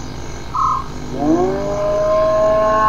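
A hyena gives a smooth, rising whoop that climbs in pitch and then holds steady.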